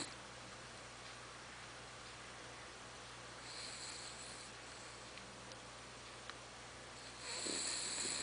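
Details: Pet female dog Charlotte asleep indoors, snoring like a tractor; faint, soft breathing rasps rise around the middle, then a louder, hissing snore swells near the end over a steady low hum.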